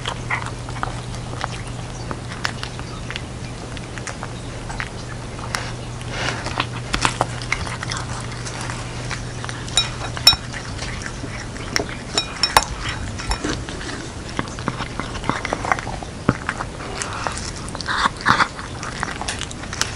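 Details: Jeongsaek the cat, wearing a hanbok for Lunar New Year, works through a bowl of cat dumpling soup indoors. Soft scattered licks and small chewing clicks continue at length, with occasional louder crunches and a faint steady hum.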